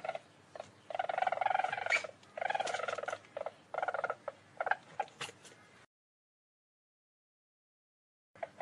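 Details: A least weasel chatters in vibrating, nasal trills, with longer bursts early on and then shorter clipped notes, before the sound stops and a last brief pulse appears at the end.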